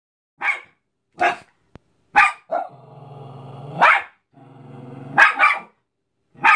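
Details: A Cairn Terrier attacking a Mickey Mouse balloon gives sharp, high barks broken up by low, rumbling growls.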